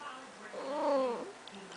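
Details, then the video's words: Domestic cat indoors, described as talking, gives a soft, drawn-out meow with a gently arching tone lasting about half a second, amid quiet room noise. "Talking Cat"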